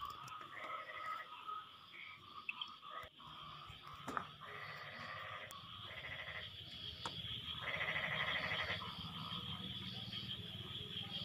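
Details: Frogs calling back and forth after the rain has stopped: overlapping bursts of nasal, pulsed croaks, each lasting about a second, with a steady high insect-like hum throughout and a few sharp clicks.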